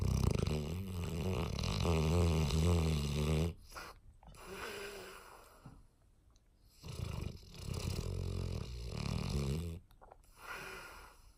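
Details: Sleeping on a lap, 18-month-old English Mastiff Stella snores with a long, low, vibrating rattle lasting over three seconds, followed by quieter breaths and a second extended throaty snore.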